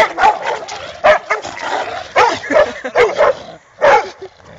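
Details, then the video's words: Labrador Retriever, shown alongside a mixed-breed Labrador, barking in loud, harsh single barks spaced about a second apart, with brief pauses between bursts and faint voices underneath. "labrador vs mesani labrador"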